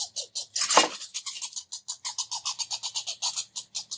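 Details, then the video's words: Two red squirrels arguing and chasing each other around a bird feeder, giving loud squeaks: rapid pulsed squeaky bursts repeated several times a second, with one louder broadband burst near the start. "Red Squirrels Arguing making Weird sounds and chasing each other around"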